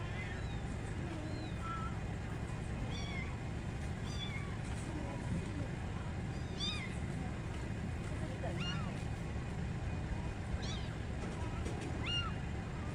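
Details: Cats meowing while a mother cat saves her kittens: many short, high, thin meows that rise and fall, scattered through the clip over a steady loud low rumble.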